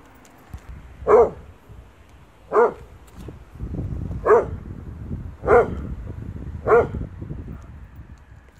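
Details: German Shorthaired Pointer named Aifer barking at its own shadow, five loud, short, deep barks spaced about one to one and a half seconds apart over a quiet background.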